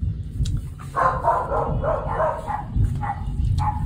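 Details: A neighbour's dog barks in a quick run of short, tonal yaps over a low rumble of thunder, while nearby mixed-breed puppies are nervous.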